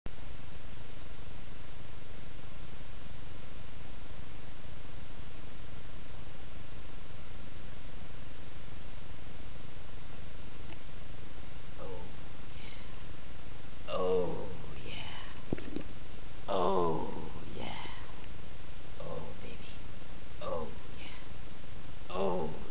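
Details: Guinea pig named Caramel indoors, giving a burst of short squeaky calls in the second half, several rising and falling chirps clustered together over steady low background hum.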